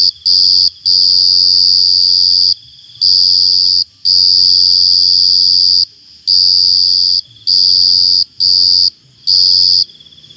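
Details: A cricket's shrill, sustained high trill sounding in bursts of one to two seconds separated by short silences, loud enough to ring in the ears.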